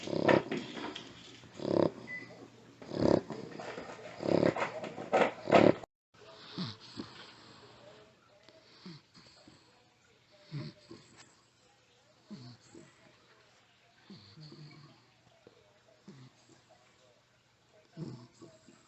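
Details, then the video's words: Muzzled pet dog snoring, its breathing affected by the muzzle: loud rasping breaths for the first six seconds, then softer, irregular low snorts and snuffles against a faint background hum. "Anxiety attack & Snoring"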